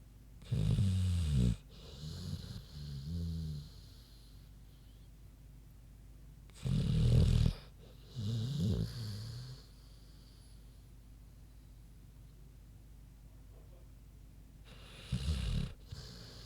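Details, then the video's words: Big pig Queenie snoozing, giving loud rasping low snores in pairs, a harsh inhale followed by a wavering exhale, with quiet gaps between rounds of about five seconds. "Big Pig Snoozin' (HD Queenie Snoring Audio)"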